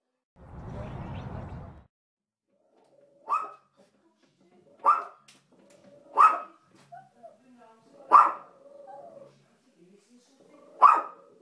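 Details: Two dogs on a window sill indoors give sharp single barks about every one and a half seconds, five in all, after a brief burst of noise at the start, with faint whines between.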